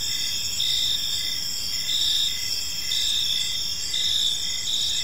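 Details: Crickets singing in a peaceful park as evening falls: a sustained shrill trill with brighter chirps recurring about once a second and a regular rapid pulsing lower down, against quiet ambient noise.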